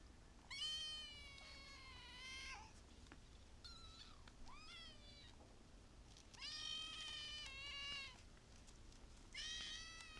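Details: Kittens giving high, drawn-out meows, each about a second long with a slight rise and fall, in four bursts over ten seconds, with a shorter, higher mew between them.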